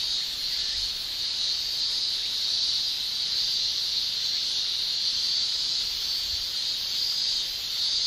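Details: In summer in Japan, male cicadas produce a tymbal song heard as an unbroken, piercing high drone, dense and even from start to finish, with no other sounds standing out.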